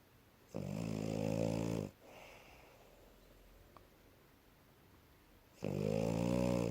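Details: French Bulldog named Asya sleeping soundly indoors after play, snoring loudly: a long harsh rasping inhalation of about one and a half seconds, a quiet pause of nearly four seconds, then the next snore begins.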